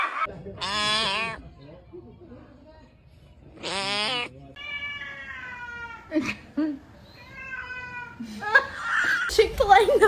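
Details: Cat meowing in a short compilation, two loud strongly pitched meows followed by softer mews, mixed with a person's speech and background music.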